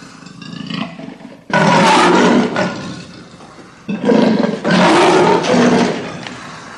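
A leopard gives two loud, hoarse roars, each lasting about two seconds, after a quiet start.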